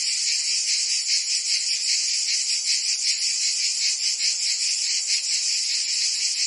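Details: Summer chorus of cicadas in Provence, southern France, a loud unbroken shrill buzz with slight quick throbbing, many insects overlapping into one bright hiss.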